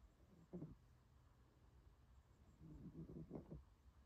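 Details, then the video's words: Small female puppy asleep in a warm blanket, snoring: one brief nasal snort early, then after a pause a rough, fluttering run of soft snores, indoors in a quiet room. "My little puppy snoring"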